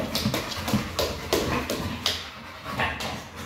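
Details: Panting pit bull at play with a Pilates ball, quick breathy bursts with short whimpery edges, about three strong puffs a second, some thuds in the background.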